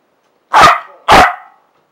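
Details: Two loud, rough barks about half a second apart from Fergus, a playing Parson Russell Terrier, recorded 7/1/15, with each one trailing off briefly and no other sounds around them.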